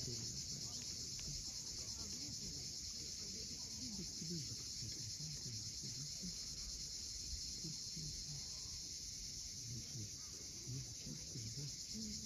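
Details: Sunset cicada chorus on Crimea's steep coast at Cape Fiolent, a constant high sizzling drone, with lapping waves and soft low bird chatter beneath.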